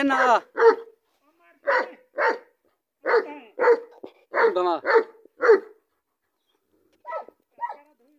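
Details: Pakistani American Bully dog giving a run of strong, gruff barks, roughly one every half second, trailing off into two softer barks after a brief pause.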